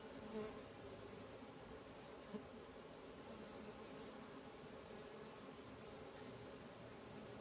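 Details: Continuous humming of stingless bees from a keeper's colonies as swarms move, a dense low buzz with a few brief louder passes by individual bees.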